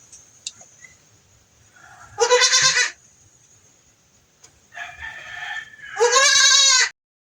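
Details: Goat with pink eye being treated, giving two loud harmonic bleats about three seconds apart, the second rising slightly then wavering, with a softer bleat between them and a steady high hiss throughout.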